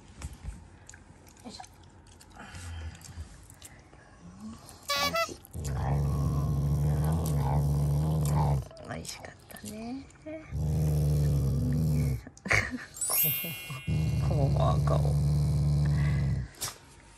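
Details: A Shiba Inu that growls as an expression of affection for its family, not anger: three sustained low rumbling growls of several seconds each, separated by quiet gaps with human speech and small chewing or handling noises indoors.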